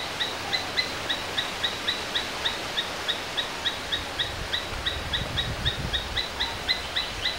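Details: Domestic Asian palm squirrel producing a continuous string of thin, high chips, about three to four per second, over a noisy outdoor background with some low rumbling.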